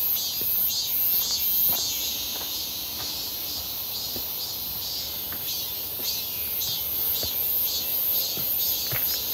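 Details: Cicadas near Seonbawi, South Korea, fill the air with a dense, steady, high-pitched buzzing drone on a clear, hot midsummer day, 1 August 2023, heard on a walk.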